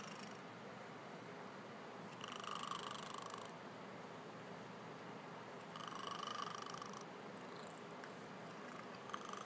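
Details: A house cat snores in its sleep: two rasping breath bursts, each about a second and a half long and roughly four seconds apart, over a soft constant purring drone.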